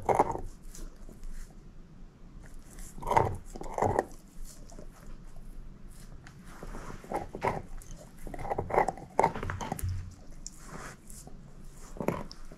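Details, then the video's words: Female shepherd mix Moose working at a bone, with sporadic crunchy bites in small clusters and quiet rasping gnaws filling the gaps, in a small quiet room. "SHEPHERD EATING BONE ASMR"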